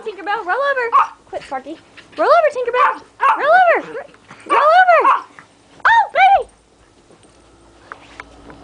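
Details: Schnauzers on a bed, reacting to a video of a barking dog, give tonal, arching barks and yowls in bursts, with short pauses between groups.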